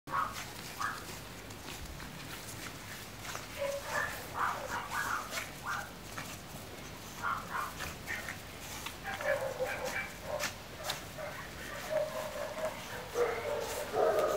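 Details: Chihuahua puppies at a kennel; thin, high whimpers and squeaky yelps come in short repeated bursts, growing busier and overlapping toward the end, over a faint steady background hum.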